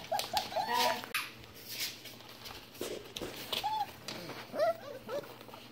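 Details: Standard Poodle puppies about four to five weeks old whimpering indoors: short high whines and squeaks in small bursts, some with rising and falling bent notes, over soft rustling and handling noise.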